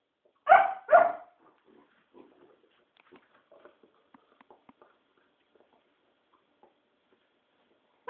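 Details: Puppy playing at night, giving two loud, rough barks in quick succession near the start, then soft scuffling and faint yips, with another bark cut off at the very end.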